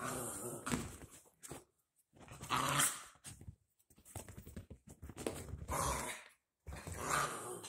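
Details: Two dachshund puppies, Ryker and Oliver, playing together indoors right after their baths; bursts of rough growling and grumbling noises come in short bouts separated by brief quiet gaps.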